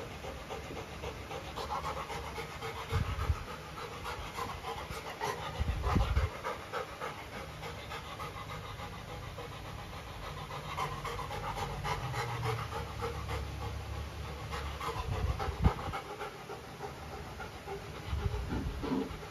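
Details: Golden retriever named Luna reacting to her new chew toy, a carabao horn; soft, rapid panting runs through the clip under a low rumble, with a few louder thumps and chewing knocks.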